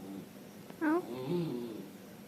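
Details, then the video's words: Dog giving a weird noise: a soft low tone, then a sudden loud, short yelp-like cry sliding downward, followed by quieter wavering grumbles. "Dogs making weird noises"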